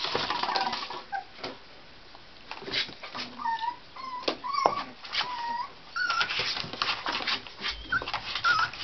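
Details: Tibetan Terrier puppies from a litter born October 23 whimper in short, high, tonal cries, some sliding downward, scattered among soft clicks and faint rustling.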